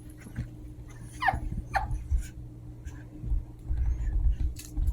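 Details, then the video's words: Two Chihuahua puppies at play indoors: a couple of short, thin, high whimpering squeaks sliding downward around the first two seconds, amid low thumps and scuffling of their tussling, with a faint steady hum behind. "Funny Sounds of Chihuahua Puppies Playtime"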